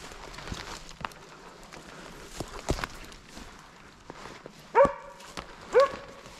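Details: Slovakian hound named Arrow baying at a wild boar held in place during a November 2022 driven hunt in Sweden: two loud, short, harmonic barks about a second apart near the end, after scattered twig snaps and footsteps in the forest.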